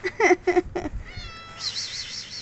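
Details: Domestic cat wanting attention: four quick, short mews in the first second, then a steady whistled tone and a warbling electronic-like sound.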